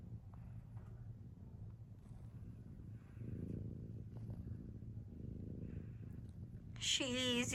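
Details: A sleeping pet cat snoring: soft, low, rasping breaths swelling and fading about every two and a half seconds, with a brief human voice breaking in at the end.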